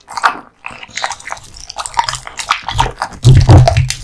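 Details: A male American Bully (pit bull type) born August 2016 crunches and gnaws on raw meat and bone, with wet, snapping bites.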